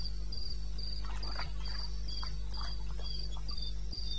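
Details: Cricket calling in the wilderness of eastern Botswana at 2:30 AM on 21 May 2016: high, steady pulses repeating about four times a second over a deep constant hum, with scattered mid-pitched chirps and clicks from other night callers.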